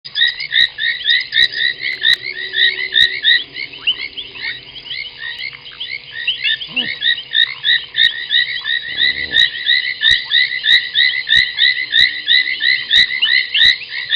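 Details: Foam nest tree frogs at Gowrie dam waterhole, Djuma Game Reserve, Sabi Sand Wildtuin, South Africa, 23:46 on 30 January 2021: a dense chorus of rapid chirping notes, with sharp clicks scattered through and a brief low rumble near nine seconds.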